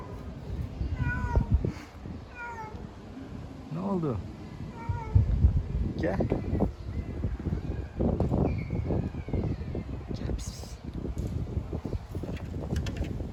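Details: Female domestic cat in heat, calling to mate with a male: several short rising-falling meows early, a low arched wail near the middle, then a faint higher cry amid rustling, thumping and scattered noise.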